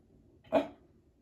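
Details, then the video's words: Pembroke Welsh Corgi throwing a tantrum indoors because it wants to see the construction worker: one short, huffy, bark-like burst lasting about a fifth of a second in an otherwise quiet room. "Corgi throwing a tantrum to see the construction guy"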